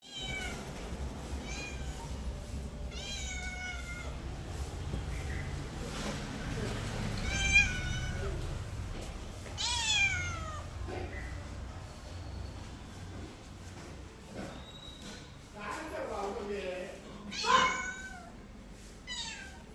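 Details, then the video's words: Domestic cat meowing indoors, several short harmonic meows with falling pitch scattered through the recording, some higher and sharper, over a low background hum with faint voices. "my cat original sound and reaction"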